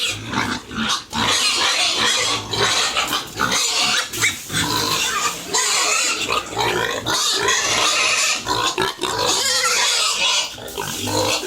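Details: Farm pigs, with piglets mentioned, kept at a farmer's home around feeding: a dense chorus of high, harsh squealing broken by brief gaps and sharp bursts, with low grunting and some faint voices underneath.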